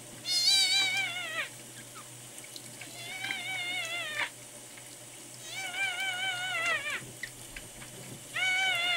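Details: Newborn rescued male red tabby and white kitten, sick, dehydrated and not drinking milk, cries four long, wavering, high mews spaced about two seconds apart over a steady hiss of running water.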